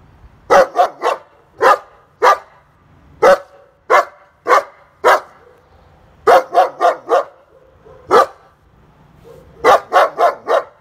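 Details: Tied-up dog barking while guarding the house: sharp barks, singly and in quick bursts of three or four, separated by short pauses and soft whines, with a quiet background.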